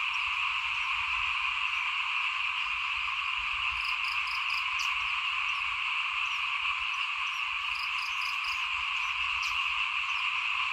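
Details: At rice sowing time in 2021, frogs call in front of a house, their massed croaking merging into a constant ringing drone, with brief higher ticking notes around four and eight seconds.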